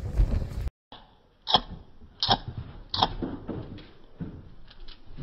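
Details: Indoor dog giving short, sharp barks near 1.5, 2.3 and 3 seconds, each a brief bright burst, followed by softer yips and some handling noise.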